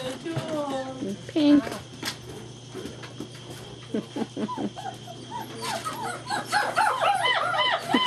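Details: Playful German Shepherd puppies getting frisky together, 2-5-2012: a run of quick arched whining yelps repeats rapidly in the second half, after an early whine, with a woman's talking and scuffling paws throughout.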